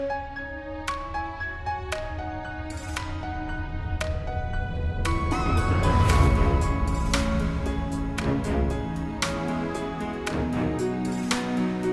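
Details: Gentle piano background music with plucked repeated notes and a soft swelling low tone midway, no animal voice heard.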